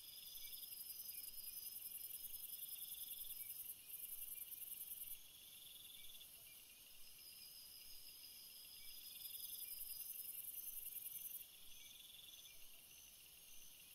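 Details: Night chorus of crickets: a loud, very high continuous trill drops out briefly twice early on, while lower pulsing trills come and go beneath it over a quiet low hiss.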